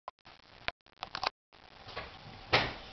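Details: Indoor knocks, taps and rustling in a small room with a louder thump near the end; no animal voice is heard.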